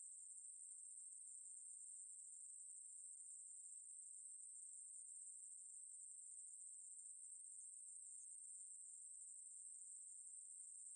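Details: A Ruspolia katydid keeps up a long, unvarying, shrill electric buzz, very high and without breaks, in a 2020 National Institute of Biological Resources recording; background otherwise silent.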